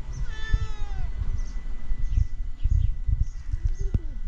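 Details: Tabby cat asking for food gives one drawn-out meow that starts strong and slides steadily downward in pitch over about a second. Steady low rumbling background noise and faint high chirps follow.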